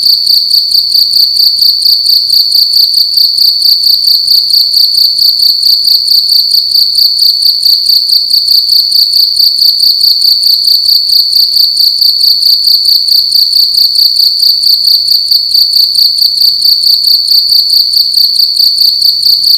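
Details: A cricket sounding loudly in a room at night, its high metallic trill beating in rapid regular pulses, about two a second, sustained for nearly twenty seconds with nothing else audible.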